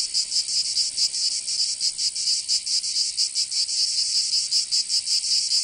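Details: Cicadas in summer in Provence, southern France: a high, sizzling buzz with slightly uneven pulsing, loud and continuous, no other animals or voices.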